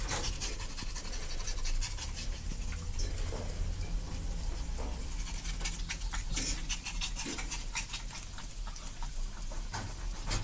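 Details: Two young dogs at play, continuous rapid panting breaths with scattered sharp scuffle clicks and a low background hum.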